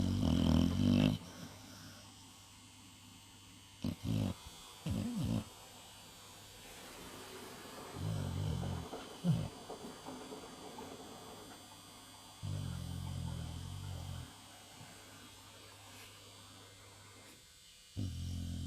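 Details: Staffordshire Terrier sleeping soundly after New Year celebrations, snoring: low, rumbling snore breaths in bursts a few seconds apart, separated by long quiet stretches, with a faint steady hum in the background.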